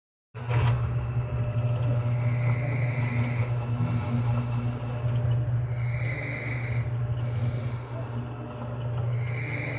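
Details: A pet cat sleeping inside a shirt with its furry brother snores. A steady low rumbling drone runs throughout, and a soft breathy hiss swells about every three and a half seconds.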